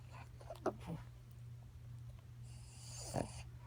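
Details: Sleeping Boston Terrier snoring; a low steady rumbling drone runs throughout, broken by two short snorting breaths, one near the start and one near the end, with a soft hiss of air between.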